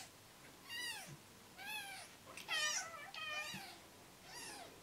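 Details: Three-day-old rescue kittens, newborns losing weight while bottle-fed every two hours, call with a run of loud, bright, arching mews. There are roughly five cries, one overlapping double, in a quiet room.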